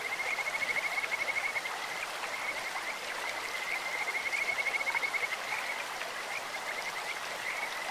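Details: Clear stream with Kajika frogs: fast, evenly pulsed high trills hold a single pitch, loudest near the start and again around four to five seconds, with quieter chirps between and steady flowing water beneath.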